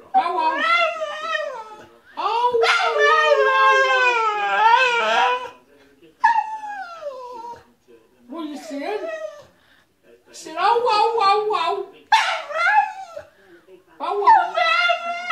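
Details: Bull Terrier (called a staffie) 'sings' the 'whah whah song' in long, wavering howls that slide up and down in pitch.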